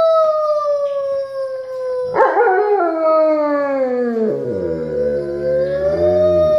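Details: Pet Alaskan Malamute singing with family members: a steady sustained howl that slowly drifts downward, joined by lower human voices partway through, the howl ending on a slight upturn.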